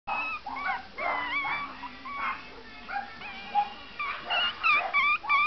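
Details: A long-haired Chihuahua whines in high, wavering, tonal cries that bend up and down in quick succession.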